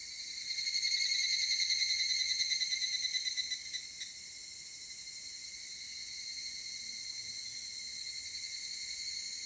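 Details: At 19:06 on Monday, 23 July 2018, an evening cicada (Tanna japonensis) sings a bright, ringing, rapidly pulsed trill that swells early, then holds steady.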